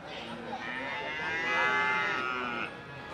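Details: One loud, sustained moo from cattle at Ambarketawang livestock market, Gamping, Jogja. The call swells in the middle and tapers off. Market chatter sits faintly underneath.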